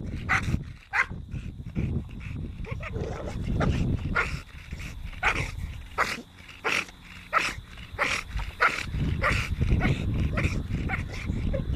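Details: American Bully named T-Rex giving short, high yips and whimpery squeals scattered through the clip, mixed with sharp clicking knocks and low rumbling handling noise.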